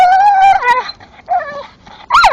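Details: Male English Staffordshire bull terrier chewing a tree stump in the dark, giving a long, steady high whine that bends downward, then shorter whimpers and a sharp rising-falling yelp at the end.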